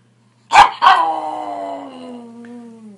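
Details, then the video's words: Pug in a home compilation: two sharp yaps close together, then a long falling whine that trails off over two seconds. "Funny Pugs Compilation 2014 Funny Pug Dogs Videos"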